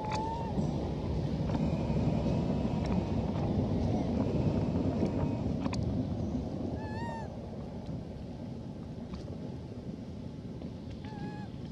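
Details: Elpida, a female hybrid monkey, calls to request food: short, clear, tonal coos with a slight arch, heard near the start, mid-clip and near the end, over a steady low rumble of wind or engine noise.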